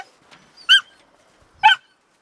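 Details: Stud male Sobol and female dog Taina during a visit to relatives, where she rebuffed his advances; two sharp, short yips about a second apart break an otherwise quiet stretch.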